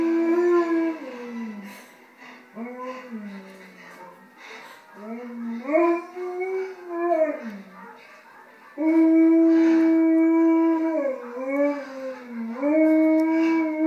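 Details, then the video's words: A 2-year-old male Alaskan Malamute howls at a bear documentary on the TV, in long, wavering notes that slide up and down, some sustained and steady. "Alaskan Malamute Howling at the TV"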